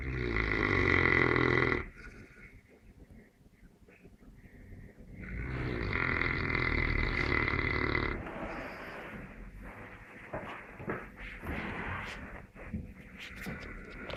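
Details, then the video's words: Sleeping Neapolitan Mastiff (Mastino) snoring in long rough rattling bursts, a short one at the start and a louder one of about three seconds midway, with softer wheezy breaths in between. "Snoring Mastino"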